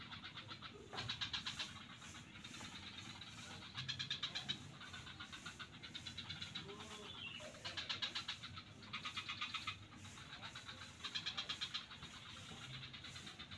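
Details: Frogs in a swamp at Kuta beach, Bali, give bursts of rapid, rattling pulses, repeated every second or two over a low background rumble.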